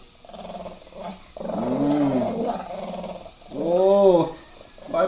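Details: Shih Tzu growling in anger while having its hair done, drawn-out harmonic growls with rising and falling pitch in several bursts, one long grumble near the middle and another toward the end.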